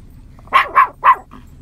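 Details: Nine-month-old Yorkshire Terrier in a field gives three quick, sharp, high-pitched barks in rapid succession, calling to cows scattered across the field.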